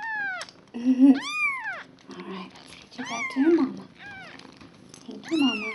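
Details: Nala's five one-day-old kittens, a newly fostered shelter litter, give loud high arching mews in quick bursts, several at once, with a low human voice talking between them.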